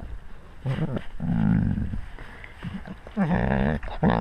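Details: Wolf among its pack, recorded up close on a GoPro camera at wolf level: low, tonal growling moans around two bursts, then a wavering whine-like call near the end, with rumbling background noise.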